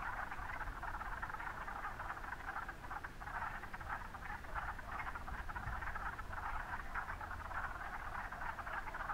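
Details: A dense chorus of wood frogs singing at Mont Saint-Bruno, with countless rapid, clucking, duck-like croaks overlapping without pause.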